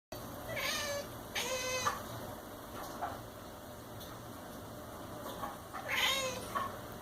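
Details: Domestic cat making strange noises while watching a fly indoors: three short harmonic chirps with wavering pitch, near 1 and 2 seconds and again near 6 seconds, over faint steady background hum.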